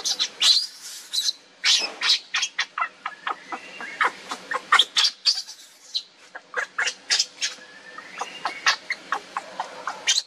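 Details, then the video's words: Hungry baby monkey Lucie pleading for its mother's milk while she refuses, uttering a steady stream of high-pitched squeaks and short whining chirps, irregular but nearly continuous for ten seconds. "Lucie Beg Mom's Milk But Mom Reject Hardly I Lovely Baby Monkey"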